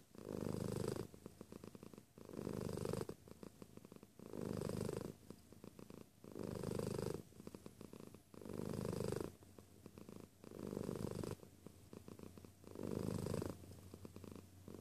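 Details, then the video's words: Steady close-up purring of a cat, deep rumbling swells repeated about every two seconds, each loud phase followed by a quieter fluttering purr, indoors with little other sound. "Close Purr"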